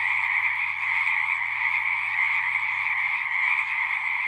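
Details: Constant trilling chorus from frogs at a horse-pasture pond, Zoom 6 recording; high bands stay steady while a soft low rapid pulsing runs underneath.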